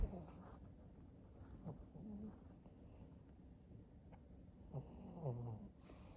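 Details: Maria, a thirteen-year-old female fawn pug kept as a pet in Japan, recorded in August: quiet, low snuffling and snoring breaths with short nasal grunts, plus a few soft squeaky whine-like notes near the end.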